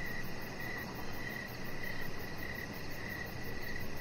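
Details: Outdoor evening cricket chorus, bright brief chirps spaced about half a second apart at a constant pitch, a soft pulsing insect whine higher up, and low background rumble throughout.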